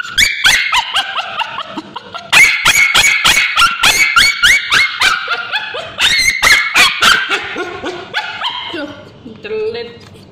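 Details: Male Bichon Frise dog, being treated for scabies, screams while ointment is applied to its tail: loud, rapid, high-pitched yelping cries repeated several times a second in bursts, fading into softer whines near the end.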